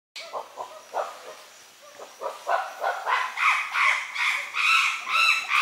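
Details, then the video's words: Chimpanzee eating a colobus monkey and leaves at Gombe, Tanzania: a rising series of hoarse, pulsing calls, starting as short grunts and building into louder, higher, harmonic hoots and screams, repeated roughly every third of a second. "Chimpanzé en train de manger un colobe et des feuilles - Chimp eating colobus and leaves"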